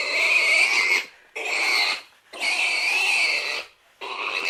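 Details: Piercing, strained pig squeals in four sustained bursts of roughly one second each, steady and harsh in tone, with short silent pauses between them.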